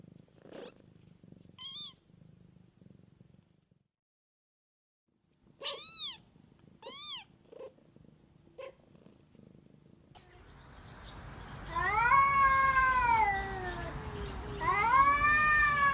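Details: Mother cat caring for her kittens, described as living in the wild; a soft low purr in the opening seconds, then short high-pitched kitten-like meows, ending with louder drawn-out wavering meows over a rough noisy background.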